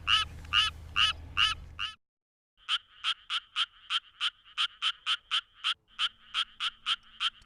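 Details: Japanese tree frog (Dryophytes japonicus) song at night in Korea: quick, evenly repeated nasal 'kak' notes in a steady run, faster and lower than the similar Suwon treefrog's call.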